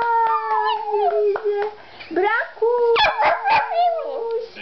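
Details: A Lhasa Apso Shih Tzu gives drawn-out howls with steady and sliding tones, interrupted by a rough yappy middle section and quick sharp yelps before the howling resumes.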